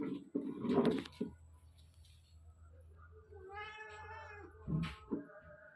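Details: Mother cat watching two kittens about two months old play hide and seek indoors, repeatedly meowing to warn them; thumps of play and a human voice early, then a drawn-out harmonic meow near the end.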